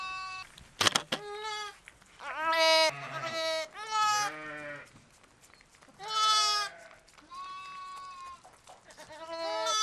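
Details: Newborn lamb triplets bleating just after their live birth at Apple Pond Farm, Sullivan County, New York, October 2010; about five wavering, mid-pitched bleats of varying length, with a sharp knock and a faint low hum.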